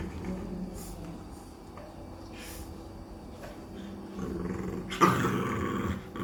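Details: Cane Corso puppy named Tyson growling at Gabbar, a two-year-old Labrador, indoors. Low rumbling growl, quiet at first, then stronger from about four seconds with a sharp louder burst near five seconds; faint room noise behind.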